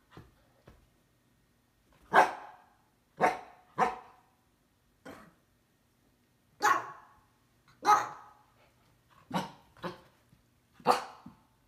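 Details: Husky known as the stamping dog, barking to rouse a resting cat that tries to fend it off indoors; loud woofy barks in loose clusters of two or three with quiet gaps, about nine barks in all.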